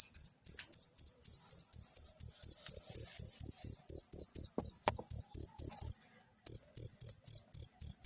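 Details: Wild cricket chirping, recorded as training sound for songbirds: bright high-pitched pulses repeated about twice a second, a brief silent break near the end, and a soft low thumping rhythm underneath.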